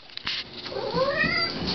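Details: A 7-week-old orange tabby kitten staying at an animal hospital gives a single drawn-out, rising meow with clear overtones, after a few handling bumps.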